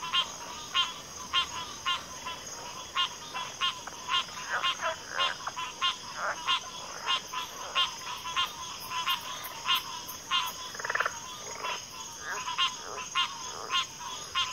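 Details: Frog chorus from a backwater: dense overlapping short croaks and clicks repeated roughly every half second, several callers layered, over a steady high insect drone.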